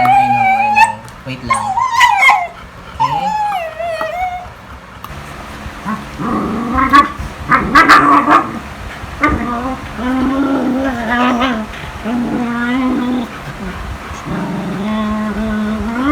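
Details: Pet beagle at home in the Philippines making its everyday funny noises: high, wavering whines and yips in the opening seconds, then a stretch where human voices dominate with the dog's lower moaning tones underneath.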